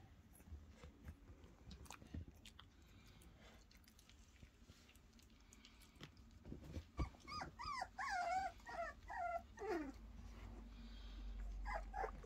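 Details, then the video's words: Three-week-old German Pinscher puppies playing and having fun in their crib: after scattered rustling and handling noises, a run of high, wavering whines and yelps comes in quick succession, ending with a low rumble and a last short squeak. "German Pinscher puppies having fun in the crib"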